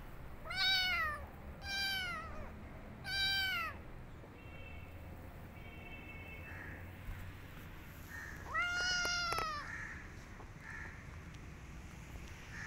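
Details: Kitten that ran off to hide in a jacket gives three quick plaintive meows in a row, then a pause with faint soft chirps, and one longer drawn-out meow near the end.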